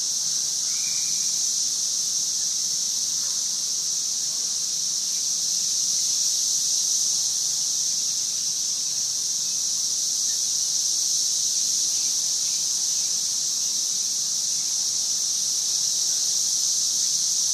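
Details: Cicadas calling in 2011: a dense, unbroken high-pitched buzzing drone holds steady at one level for the whole stretch, with no pauses, other voices or background sounds.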